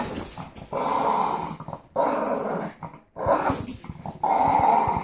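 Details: Two Boston Terriers growling while playing tug: rough, buzzy growls in bursts of about a second, broken by short quiet gaps, loud and close throughout.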